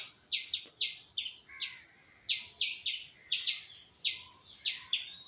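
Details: Squirrel calling: sharp, short chirps with a bright overtone, repeated irregularly about two to three times a second, some notes doubled, over a quiet background.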